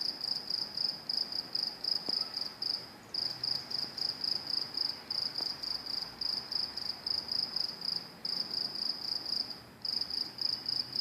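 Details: Crickets making noise at NJT train tracks, a continuous high-pitched trilling buzz broken into rapid pulses, with brief drop-outs near three and ten seconds and a quiet outdoor hum underneath.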